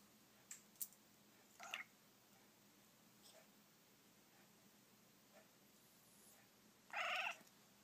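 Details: Indoor Persian cats, three kittens watching a toy held out of reach and growing impatient; a few short, faint cries early on, then one louder, drawn-out meow near the end, against quiet room background.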